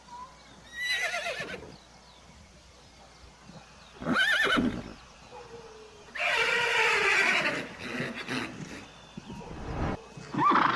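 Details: Horses in a galloping herd neighing: three separate whinnies, each with a quavering, descending harmonic pattern, separated by quieter gaps with faint background sounds.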